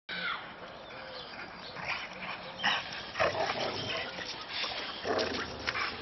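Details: Three Boxer dogs, two housemates and the neighbours' Boxer Clyde, play fighting in a snow-covered garden: scuffling bursts of rough grunts and snorting growls, with short harmonic whines between irregular, noisy thrashing sounds.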